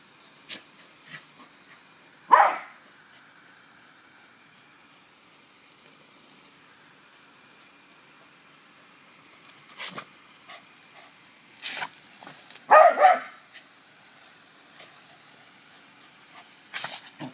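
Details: Dog named Cody barking at a garden hose during play: one sharp bark early, then a tight double bark later, with hissing bursts of water spray in between.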